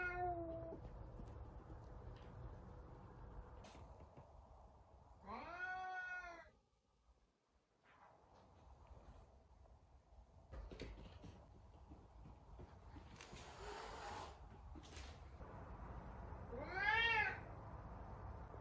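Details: F2 Savannah cat, described as angry, indoors at home: two harmonic-rich meows, the first rising then falling around six seconds, a second shorter one near seventeen seconds, with quiet room noise and scattered clicks between.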